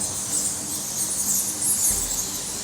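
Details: Huge colony of bats, said to number in the lakhs, deep in the middle of one of the biggest caves in Assam near the Manipur border; a dense, steady high-pitched chittering hiss, like wind blowing, fills the cave.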